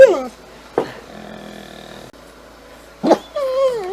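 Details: Domestic dogs Moe and Mollie vocalizing in a human-like 'talking' way: a sharp falling yelp, a brief burst, a near-silent pause, then a wavering, rising-and-falling whine at the end.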